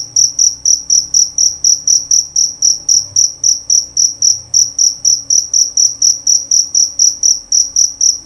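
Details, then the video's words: Jerabang cricket, a male, chirping nonstop with shrill, clean pulses about four per second, each note swelling then cut off, over a quiet background. "Bunyi Suara Jangkrik Jerabang Nyaring dan Jernih"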